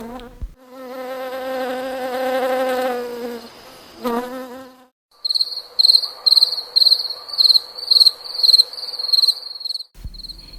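A cricket sings in clear, high, trilled chirps, about two per second, after a low insect buzz.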